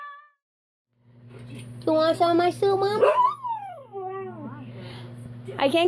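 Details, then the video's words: Husky talking over a steady low electrical hum: a few sharp bark-like calls, then a long descending whine that slides down and fades, ending with another short yelping burst. "Huskies Singing 🎤 | Husky Singing & Talking"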